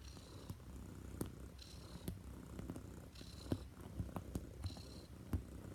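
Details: Female Neva Masquerade cat (Siberian Blue Point) bred in Russia, massaging a bed with her paws; deep continuous purr in regular in-out cycles about every second, with small soft clicks and fabric rustles.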